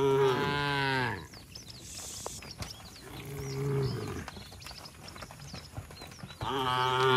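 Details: Tame village cattle herd walking home to the shed, calling to one another: loud, drawn-out harmonic moos at the start and again at the end, with faint bird chirps and rustling between calls.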